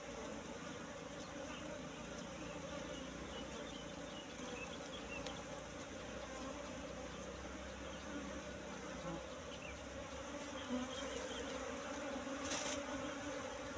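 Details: Many wild Apis cerana honey bees humming at their nest found in bushes, combs full of honey; an unbroken, even drone fills the clip, with a short crackle near the end.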